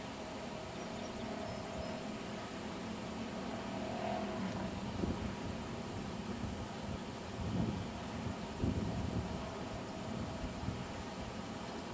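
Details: Steady low rumble of wind and outdoor handling noise beside a lake dam, with occasional soft bumps and rustles and no animal voice.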